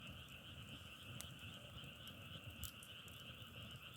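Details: Frogs calling together in a steady, dense chorus of two sustained buzzing tones, a low and a higher one, with sharp crackles and pops of burning firewood scattered through and a low rumble underneath.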